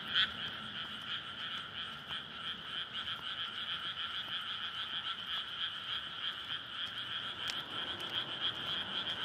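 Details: Frogs in a flooded paddy at night in May, calling to court before egg-laying; steady massed croaking in two bands, an abrupt loud note at the start, and faint low rumbling beneath.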